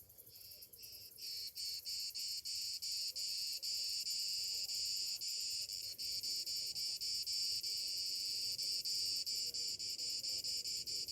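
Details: Summer morning cicadas: a dense, high buzzing chorus pulsing in rapid, steady beats, about four per second, continuing without pause after a quieter opening second.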